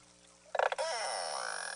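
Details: Beluga contact call from a summering Eastern High Arctic Baffin Bay population in a quiet, pristine nursery inlet: a harsh, very broadband pulsed burst with energy up to 125 kHz, then a buzzy rising tone; these calls keep groups together and keep mothers in contact with calves.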